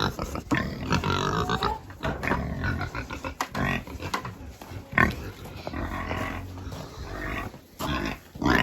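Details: Pigs during farm chores making loud, harsh, drawn-out squeals and grunts almost without pause, with sharp knocks in between.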